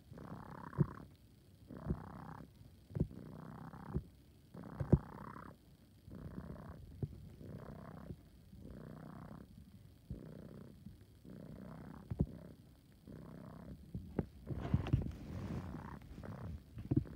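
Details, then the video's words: Male kitten purring with a raspy, wheezing sound likened to an air pump: rhythmic breathy bursts roughly once a second, about fourteen in a row, alternating between stronger and softer pulses, with faint clicks between. "My cat sounds like an air pump"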